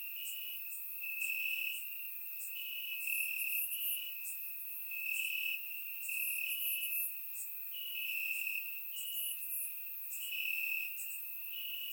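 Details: Crickets chirping in grass on a warm summer night in Bulgaria, recorded with a surround microphone: a steady high trill with pulses alternating in pitch, alongside brighter, higher buzzing chirps from other insects in bursts.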